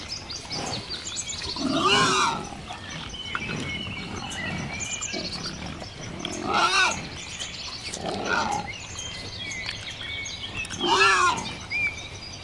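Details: Wild boar outdoors, giving four loud, harsh, rasping grunts spaced a few seconds apart, each a short burst of stacked, wavering tones, with birds chirping steadily in the background.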